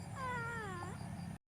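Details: Stray cats eating a meal together by a river; one cat gives a single drawn-out meow that slides gently downward in pitch and fades, over a steady low hum.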